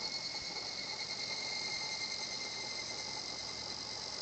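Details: Higurashi cicada heard in a peaceful natural setting, the song rendered as kana-kana; a continuous bright, hissing high-pitched drone holds steady throughout, with a thin constant tone lower down and no other voices.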